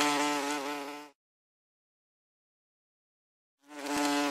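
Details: Common wasp (Vespula vulgaris) in flight, giving a short burst of low, reedy droning buzz with slight pitch wobble that tails off, then a pause before the buzz briefly resumes.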